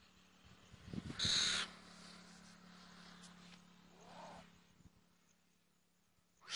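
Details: In a forest in India, a mongoose caught in a trap and being freed by a young man gives a brief, shrill screeching squeal, then a softer falling call, over a low steady hum.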